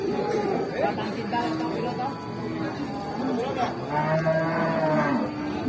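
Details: Agitated cattle at a crowded morning livestock market in Indonesia with many cows present; several drawn-out, wavering moos overlap one another, rising and falling in pitch, against steady crowd chatter and general market bustle.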